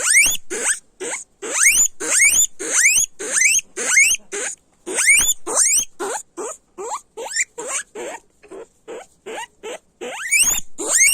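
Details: A guinea pig squeals loudly in rising whistled bursts nearly twice a second, softening into shorter, quieter squeaks around the middle before growing loud again near the end.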